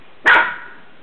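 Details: Mocha, a pet dog playing in bed indoors, gives a single short, sharp bark that cuts off quickly and fades into a quiet room.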